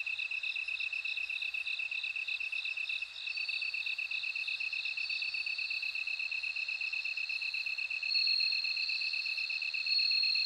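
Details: Bell cricket song in a dense insect chorus: rapid, regular high pulses form a continuous ringing band, with a brighter overlapping trill growing louder toward the end.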